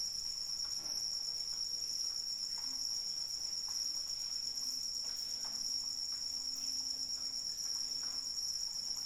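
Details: Steady piercing trill of crickets calling through rain, with gentle rain patter and a faint low hum running through the second half.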